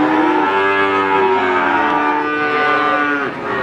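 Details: Cattle at Pasar Sapi Wagenan in Pati, Indonesia: a strong, long moo holds steady and then dips before cutting off after about three seconds, with other lows and market noise behind it.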